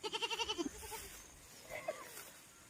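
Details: Domestic goat from a goat-rearing setting giving one sharply quavering bleat of rapid pulses lasting under a second, followed by a faint, short second call and quiet background hiss.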